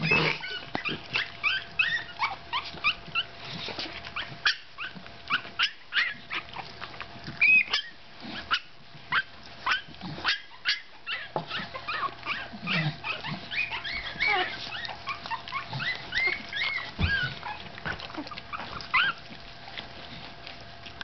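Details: Fifteen-day-old Staffordshire Bull Terrier puppy Gladius makes many short high squeaks and soft whimpers, mixed with steady rustling and clicking of movement throughout.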